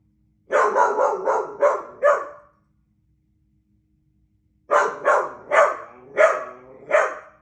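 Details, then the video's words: A doodle dog barks at birds: two bursts of sharp, harmonic barks, five quick ones then about four more after a pause, with nothing else heard. "Barking at the Birds"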